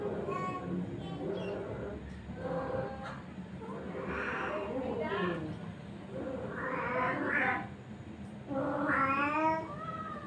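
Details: Three village cats, one female and two males, gathered together and quarrelling over her; drawn-out wavering yowls and rising caterwauls come in several bursts, with people talking to each other throughout in the background.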